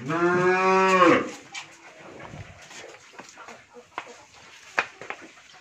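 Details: Pregnant Friesian dairy cow on a farm in Bhangura, Pabna, Bangladesh, expecting her third calf, gives one loud harmonic moo lasting about one second, followed by quiet clattering and faint background noises.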